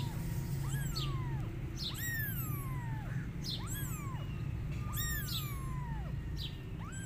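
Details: Kittens calling their mother cat, who is running away from them; drawn-out, falling meows about once a second, quite faint above a strong low rumble.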